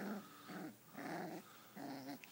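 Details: Five-week-old female sheepadoodle puppy, a poodle mix, play fighting indoors; four short rough growls in a steady series, each about a third of a second long with a low buzzy tone.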